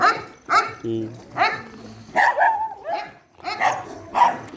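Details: Dogs at a shelter during night feeding, giving loud, sharp barks in quick bursts about every half second, with a brief low human voice murmuring in between.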